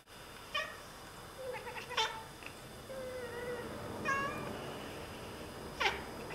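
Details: Two Oriental Siamese cats chatter at birds they are watching, giving short, clipped chirps and quick stuttered trills, with a few drawn-out, wavering mews between bursts, set against a quiet indoor background.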